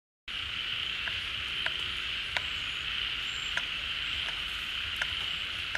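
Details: Frogs chorusing at a pond as water returns in the rainy season, emerging from dormancy or burrows. A dense, steady high buzzing wall of sound, punctuated by sharp clicks roughly every second.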